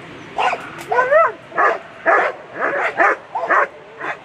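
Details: German Shepherd barking during a world championship agility run, A2 class on Sunday: short bursts of harsh barks and whiny, rising yips, about two per second, with an excited, uneven rhythm.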